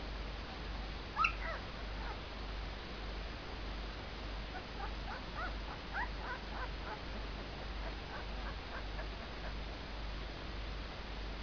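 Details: Two-week-old puppies from Ginger's litter, eyes open, giving a steady run of faint, high squeaky whimpers in short clustered bursts, with one sharper yelp near the start over a constant low hum.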